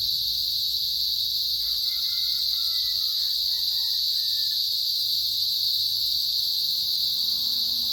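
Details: Cicadas chirp as a loud, continuous high-pitched drone with an upper shimmer; a fainter drawn-out harmonic call, falling slightly, sounds between about two and five seconds beneath the insect chorus.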